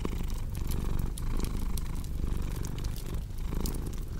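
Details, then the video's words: Domestic cat purring steadily, a low rumbling drone pulsing with each breath roughly every half second, mixed with sharp pops and crackles from a cozy fireplace. "Purring Cat with Cozy Crackling Fireplace Sound"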